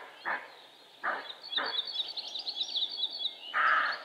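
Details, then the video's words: Roe deer buck giving rough barks: three short hoarse barks in quick succession within two seconds, then a louder, longer bark, while songbirds twitter and trill continuously behind. "Stirnu āža "riešana" - "Лай" самца косули - Barking Roe Deer"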